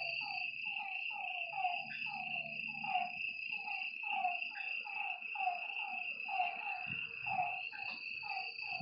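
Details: Frogs calling at night beside a lake, a dense chorus of short, downward-sliding croaking notes repeating in overlapping runs, over a steady high insect drone and faint low rumbling.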